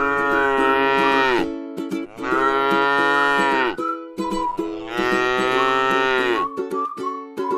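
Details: Tame cow grazing on grass in a rice field, giving three long, steady, drawn-out moos about every two seconds, each trailing off at the end, over bright plucked-string music.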